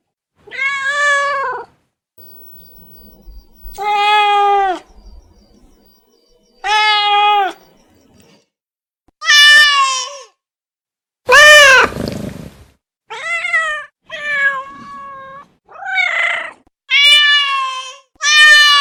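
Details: Domestic cat meowing about eleven times, roughly every one and a half to two seconds; clear harmonic meows, several bending downward at the end, with one especially loud, strained meow near the middle.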